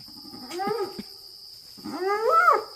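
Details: Lone spotted hyena at night at Maroela Camp, Kruger, South Africa, April 2024, pacing a fence line a few meters away: two haunting rising howls, the second climbing steeply from low to high with rich overtones, over a steady insect hum.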